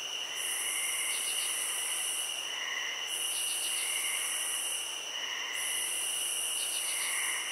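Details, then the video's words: Crickets in a field: steady high ringing trills overlaid by a very high shrill band that breaks off briefly every two to three seconds, with short pulsed chirps and softer lower warbling notes recurring throughout. "Cricket Sounds"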